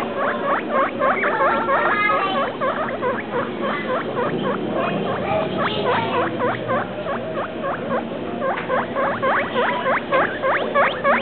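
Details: Young guinea pig aged two weeks and three days, giving a long string of shrill, rising-falling whistled squeaks at roughly three to four per second, some overlapping and blurring mid-sequence, over low indoor background hum.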